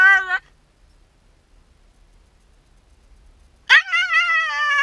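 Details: Yamato, a Shiba Inu left by itself during its owner's brief errand, lets out a short falling whine, then after a pause a sharp rising yelp that settles into a sustained wavering whine.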